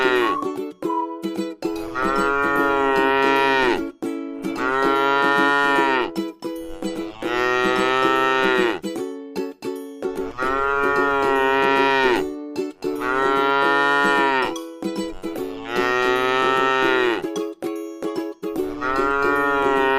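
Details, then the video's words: Tame cattle resting in a beautiful rice field low again and again, six long, nasal, harmonic moos spaced about every three seconds, with constant plucked string music in the background. "suara sapi lucu jinak yang sedang istirahat di sebuah ladang sawah yang indah"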